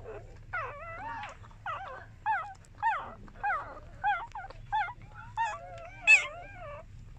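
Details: Puppies breastfeeding give high wavering whimpers and squeals, a series of short bending cries roughly every half second to second, over a low steady hum.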